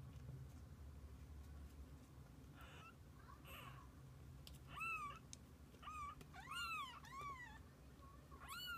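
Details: Kittens with their mother cat, spending the day together; several high, arching meows with rich harmonics come in a cluster near the end, after softer rustling, over a steady low hum.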